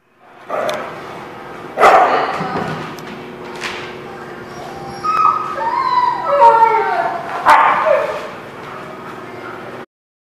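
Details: Dogs recorded on 12/07/19: sharp barks near two and four seconds and a loud bark near seven and a half, with whiny, yelping rising and falling notes in between, over a steady low hum.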